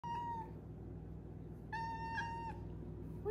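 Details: Five-month-old female Maine Coon kitten indoors giving two steady, even-pitched mewing calls with rich overtones, the first short and the second longer. A woman speaks softly right afterward about feeding time.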